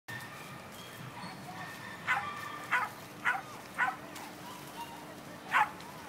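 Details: Two Scottish Terriers out hunting for squirrels or lizards bark in short, sharp yips: four quick barks spaced about half a second apart, a pause, then one more, over a steady low background hum.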